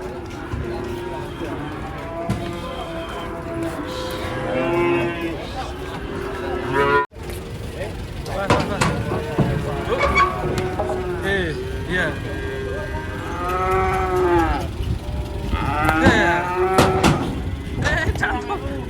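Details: Agitated cattle being unloaded from a truck in Indonesia give loud, drawn-out moos that swell and fall. Several bellows overlap in close succession, with vehicle rumble and scattered human voices in the background.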